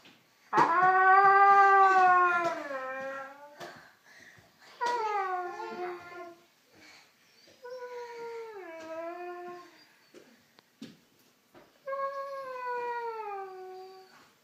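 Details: Siberian Husky indoors howling in response to someone sneezing: four long, wavering, rising-then-falling harmonic howls, the first loudest and longest, separated by short pauses with faint background noise.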